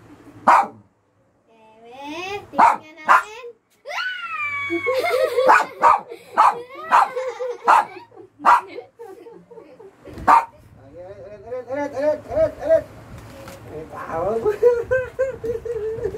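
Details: During a hide-and-seek game, a pet dog lets out a fast run of sharp barks, roughly one every half second, mixed with rising and falling whining tones and a busy background.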